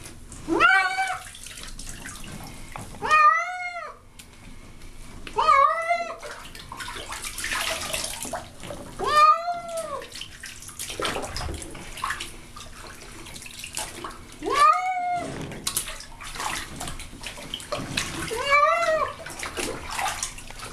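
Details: Unhappy pet cat Baby being bathed in a tub, giving a steady series of about seven complaining meows, each short and arched in pitch, roughly every two to three seconds, amid splashing water and occasional background voices.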